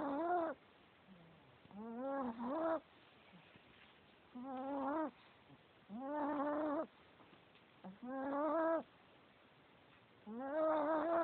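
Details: Sleeping male Chihuahua snoring loudly: whining, tonal, harmonic wheezes that bend up and down, one with each breath, roughly every two seconds, separated by quiet pauses, in a still room.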